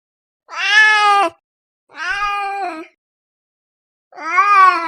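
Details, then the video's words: Domestic cat giving three long, steady meows, each held about a second with a flat, slightly falling tone, separated by clean silent gaps. "The Gentle Sounds of a Cat Meowing"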